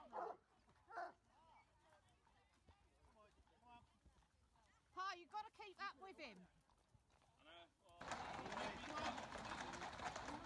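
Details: Bloodhounds of a hunting pack on Boxing Day 2018, being whipped in: short bursts of arched, yelping bays cluster in the middle, with human voices before and a loud broad rush of noise at the end.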